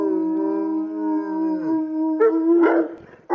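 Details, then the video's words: Several Saint Bernards howling together: long, steady, tonal howls held at overlapping pitches for about two seconds, then breaking into short, rough, yelping bursts. "Singing Saint Bernards"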